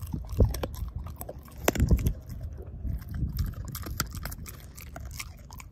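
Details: Ozzie, a dog, devouring a pork steak, jaw chomping and mashing the bone: irregular wet crunches and bites, heavier clusters near the start and around two seconds, then steadier lighter chewing.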